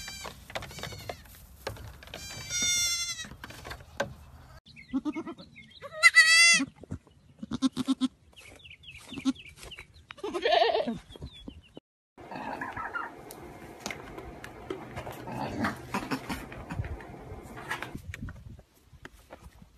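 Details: Baby goats playing and jumping around, giving several high, quavering bleats with stacked harmonics in the first seven seconds, then scattered softer cries, rustling and handling noise.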